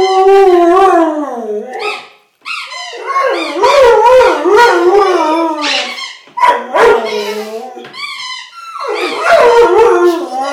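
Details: A Vizsla named Wyatt howls and whines in drawn-out, wavering cries that slide up and down, breaking into higher whines and yips, reacting to a squeaky toy a young girl squeezes for him while she giggles.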